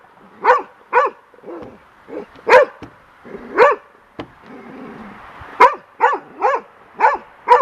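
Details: Young golden retriever on a deck, scared of and attacking a large bird's feather blowing in the wind: loud, sharp barks in irregular bursts, mixed with softer grumbling yips, while a person urges her on and music plays.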